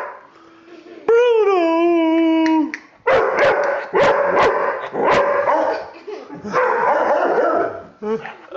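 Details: Pet puppy barking: a long drawn tonal whine-like note, then a run of sharp, loud barks at irregular intervals of about one second.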